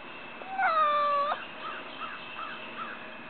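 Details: House cat watching birds and squirrels across the street, wanting to play, gives one drawn-out, steady meow. Faint short chirping notes then repeat about every half second over a background hiss.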